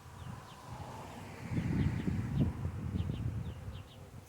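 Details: Honey bees crawling under a bee hive make a low, rough buzzing that swells in the middle and eases off again, while faint short bird chirps sound in the background.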